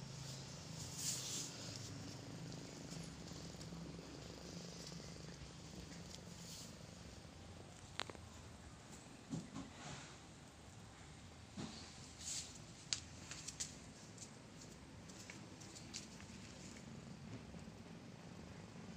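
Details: Calico mother cat, a tame stray, relaxing after giving birth to four kittens; a soft, low continuous purr runs under scattered clicks and rustling handling noises.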